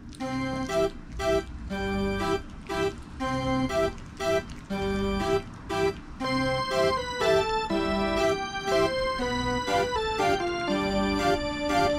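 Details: Bouncy organ and keyboard music plays in a steady repeating rhythm, with no animal sounds present.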